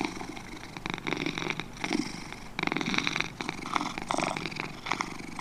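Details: Two domestic cats purring: a dense, rapid, rasping pulse train that swells and eases in uneven bursts, with brighter raspy surges near the middle and end, over a faint steady low hum.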